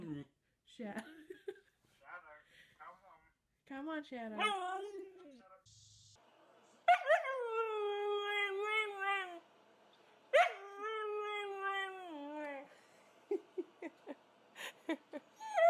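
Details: Husky in a funny pet compilation giving a drawn-out, wavering howl that holds steady and then dips, followed by a second long howl that starts high and slides downward, with human speech and clatter before and after.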